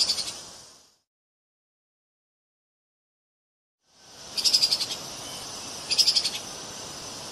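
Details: Treeshrew (Tupaia) giving two short bursts of high, rapidly pulsed chattering about a second and a half apart, each lasting roughly half a second, over a steady hiss, after a stretch of silence.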